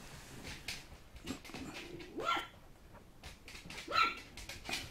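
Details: Black Poodle male puppy giving a few short, sharp yips and small barks spread over a few seconds, with one brief high squeak near the end and faint background rustling.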